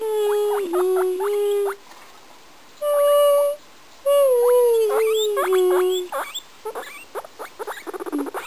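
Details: Singing pet guinea pig gives sustained pure whistled tones, some dipping and rising, broken by fast stuttering chirps overlaid on the notes, ending in a rapid rattle of short pulses.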